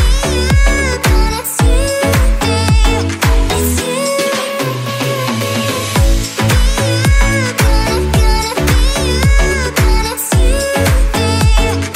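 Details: Loud electronic dance music with a pounding beat fills the recording, and no animal sounds are heard.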